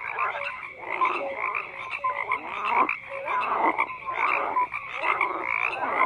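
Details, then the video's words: Frogs croaking en masse, rough grating calls overlapping with clipped whistle-like notes, swelling in waves about once a second. "FROGS CROAKING"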